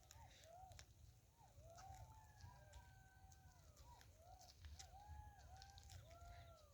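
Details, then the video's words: On a quiet winter night in a Bankura village, West Bengal, around 7:30–8 pm, distant golden jackals howl together in wavering, rising-and-falling wails over a low background rumble. "দূরে শিয়ালের ডাক শোনা যাচ্ছে"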